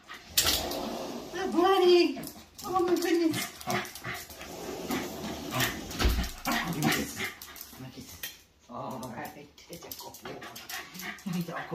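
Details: Male Miniature Schnauzer indoors, greeting his owner at the door, rising on hind paws and jumping with happiness: wavering, drawn-out whines with rich harmonics come in two bursts early on, then the voices and movements of people take over.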